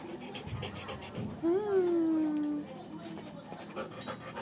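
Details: Coco, a Belgian Malinois, breathes in quick, fairly regular pants of soft breathy puffs, broken midway by a drawn-out tonal whine that rises and then slowly falls, with faint background noise.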